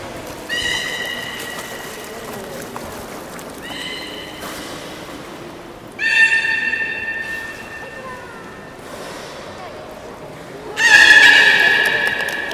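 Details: Aquarium beluga at Port of Nagoya Public Aquarium, Japan, performing in a public training session on 18 July 2016 at 13:30; four separate steady harmonic whistles come at intervals, the last one loudest, with a quieter indoor murmur between them.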